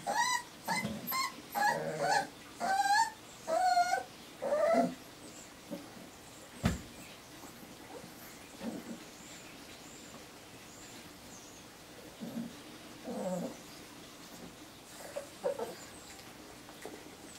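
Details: A litter of four-week-old Irish Terrier pups: a burst of squealing whimpers in the first five seconds, then only scattered soft whines, a single sharp knock and quiet room noise.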